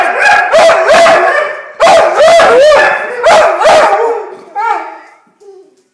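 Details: Labrador Retrievers "singing" together: a few seconds of bending, wavering howls with looping pitch, in two main bursts, then fading to a short, quieter final whine before silence.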